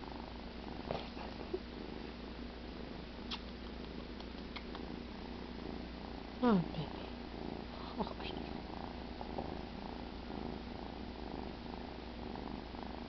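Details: Cheddar, a pet cat, sleeping after a pretend kill indoors; a steady low rumbling purr runs throughout, with soft spoken comments and a brief rising vocal sweep partway through.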